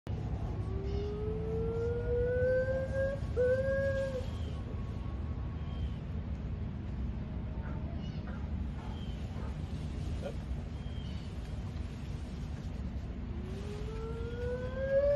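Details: A female white-cheeked gibbon at a zoo, which usually sings with her companion in the morning, sings long, clear rising notes that sweep upward over a steady low hum.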